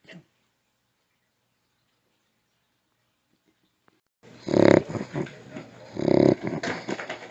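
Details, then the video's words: Bentley, a pet dog, during an anxiety attack that sounds like gagging without vomiting; a vet said its muzzle affects its snoring and breathing. Four seconds of near silence, then loud, harsh, throaty snorting bursts, two big ones with smaller ones between, indoors. "Micro Bentley | Anxiety attack & Snoring"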